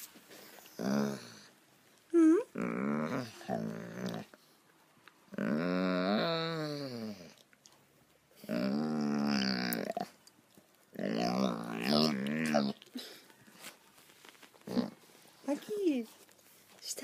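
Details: A rescued German Shorthaired Pointer that loves to 'talk' gives drawn-out, wavering moans that rise and fall in pitch.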